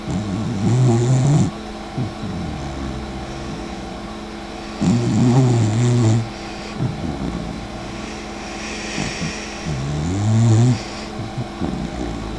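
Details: Sleeping dachshund named Mika, sister of the dachshund Eva, snoring indoors: three deep, rumbling, low-pitched snores with a rising, harmonic tone, coming about every four to five seconds, with quiet breathing between them.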